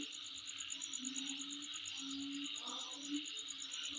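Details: Insect heard around the recordist's place, a steady, shrill, high buzz with a fast beaded trill above it; a low drawn-out tone rises and fades beneath, with a short burst of mid-pitched chirps near the end.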